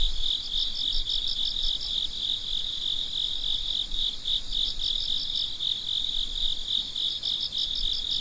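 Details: Crickets calling at midnight: an unbroken shrill trill with bursts of quick pulsed chirps coming and going every few seconds, several callers overlapping.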